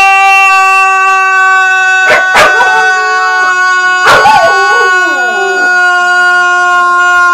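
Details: Dogs sing during their morning stretch routine with a woman, giving short yelping howls that slide downward against a steady held musical tone.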